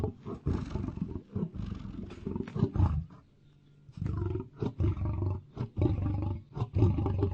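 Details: Deep, gravelly lion roaring in broken low pulses, a quiet pause near the middle, then more clipped rumbling bursts.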